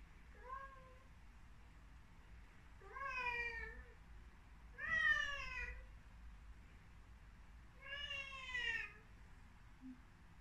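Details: Devon Rex kitten in front of a mirror indoors, meowing repeatedly: four clear, harmonic-rich meows, the middle ones loudest and slightly rising then falling, separated by short quiet pauses.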